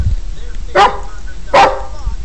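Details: Pet Border Collie counting with barks: two loud, abrupt barks spaced under a second apart, then a man softly praising the dog.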